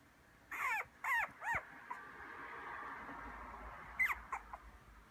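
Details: Young male Maltese × Toy Poodle cross puppy, white-coated, 38 days old, in Kumamoto, Japan, on 19 December; three quick squeaky whimpers in a row, a pause, then two or three shorter yelps against quiet indoor background.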